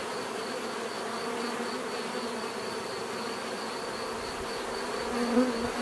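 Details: Bees producing an even, continuous buzzing drone with a faint steady high tone; near the end one bee passes close, giving a brief louder swell.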